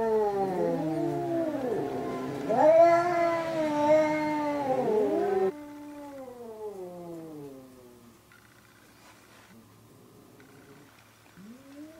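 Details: Third fight between two cats, Hokuro and a black-and-white cat: loud arching yowls rise and fall in overlapping waves, then fade into softer, lower wails with a quiet stretch and a last rising cry.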